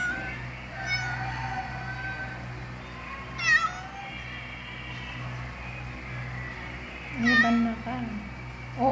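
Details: Siamese cat during delivery, giving two short, sharp, high-pitched cries with stacked overtones about four seconds apart, over a steady low electrical hum and faint background voices.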